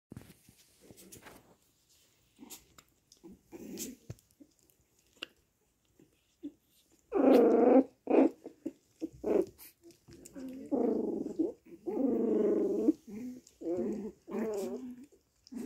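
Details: Chihuahua puppies at a home kennel in Simferopol, Crimea, indoors: soft scattered snuffles and clicks at first, then a run of short nasal whines and squeaky yelps, several in quick succession.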